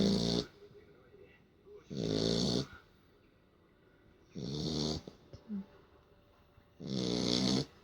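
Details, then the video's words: Sleeping Beagle snoring after play: four harsh, raspy breaths, each about half a second long, recurring roughly every two and a half seconds with quiet gaps between them. "Бигль храпит!"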